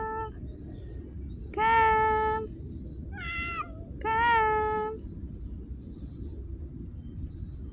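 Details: Street cat being called by a woman; three meows, two long level ones and a shorter wavering one between them, over low background hiss.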